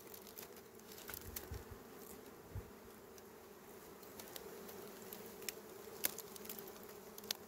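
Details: Continuous low drone of small bees at a honey harvest, with irregular crisp clicks and brief thumps from handling the honeycomb.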